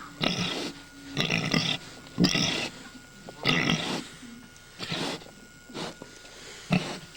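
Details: Domestic sow on a farm, about to give birth for the second time and acting goofy; a series of harsh, breathy, noisy grunts and snorts, roughly one every second, uneven in rhythm, with faint hum behind.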